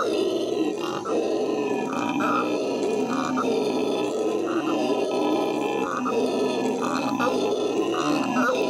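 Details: Captive howler monkeys howling at the Los Angeles Zoo in May 2014: a continuous, deep, rough roaring chorus with rhythmic surges about once a second, dense and unbroken throughout.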